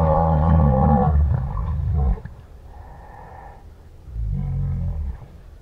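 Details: Southern white rhinoceros in the South African bush, panting as it approaches a rival during a dominance tussle: two deep, rough, gurgling roar-groans, each about one to two seconds long, with quieter breathy rasps between them.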